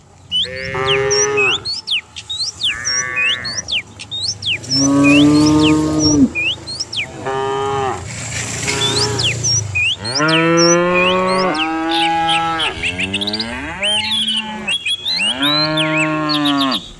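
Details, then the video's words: Dozens of cattle driven downhill one morning in peaceful countryside; a steady run of repeated moos, some short and some long and wavering, roughly every second or two, over a busy chorus of chirping birds. "Herding dozens of cows down the hill every morning, cow sounds"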